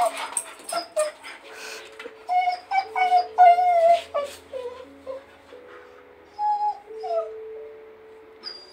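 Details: Female Blue Heeler begging for help to get her toy she can't reach; rapid series of high, quavering whimpers and squeaky yips, then longer thin drawn-out whines, with a person's voice offering help.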